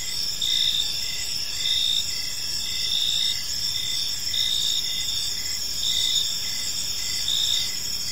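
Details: Crickets sing through a calm evening in a park: a sustained high metallic trill, with louder chirp pulses swelling and fading in a loose rhythm near once a second, faint low hum beneath.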